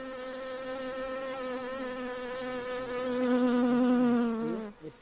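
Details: Honey bees at a hive box being checked give a steady, droning wing buzz, low and slightly wavering, swelling louder before cutting off.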